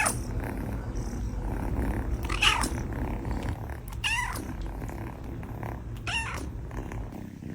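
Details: A kitten, also shown drinking milk, gives a low, steady rumbling snore throughout, with three brief squeaky rising mews breaking in at about two-second intervals.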